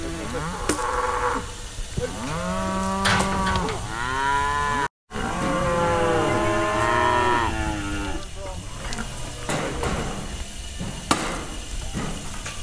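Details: Brahma, Brangus and Hereford cows gathered in a round-up to separate calves, filmed on a GoPro; repeated drawn-out moos with rich harmonics overlap densely in the first half, then fade into rustling and knocking.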